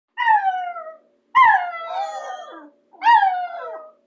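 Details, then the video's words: Bulldog named CoaCoa howling out of affection for Dylan: three drawn-out harmonic howls, each starting near a higher pitch then sliding gently downward, separated by short silences, the middle one longest and wavering. "Howling bulldog"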